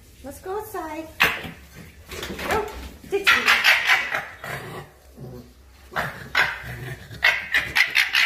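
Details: Two foxes fighting, with harsh, rasping screams and yelps in rapid, irregular bursts.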